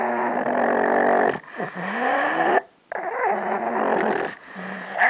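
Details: Pug Gidget guarding a bone she was given, giving snorting, rasping growls with wavering whiny pitch, in two long stretches split by a short silence.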